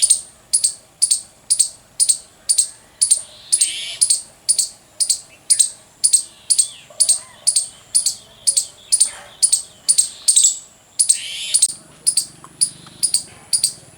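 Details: Loud squirrel chirping: a long series of shrill, piercing chip notes, about two per second, steady throughout, with faint low rumbling and a brief rustle near the end.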